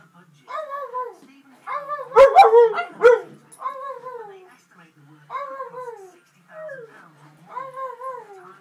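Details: A pug and a husky howl together in a small room, giving a series of falling, harmonic-rich howls about a second apart, with a louder cluster of overlapping yelping howls early on and short pauses between phrases.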